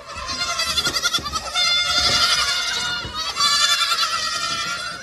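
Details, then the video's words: Young goat kids drinking their bottles of milk, giving a dense chorus of loud, quavering, overlapping bleats with rich harmonics and no pause between calls. "Chivos bebés tomando sus botellas de leche"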